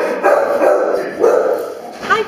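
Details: A Bloodhound in his run, looking at strangers, gives drawn-out, whining vocal notes in two long bursts, then a short rising yelp.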